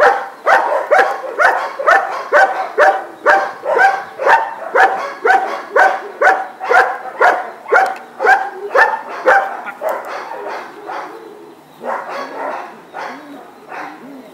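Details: Dog named Atheo van de Verpihoeve barking during guard training with a helper: a steady run of loud, harsh barks about two per second, slowing and fading into softer, ragged barks near the end.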